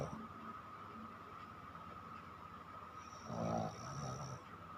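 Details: Sleeping pet dog Chiko gives one drawn-out, rasping snore near the end of a quiet stretch, a coarse breathy rumble lasting about a second over faint steady background hum.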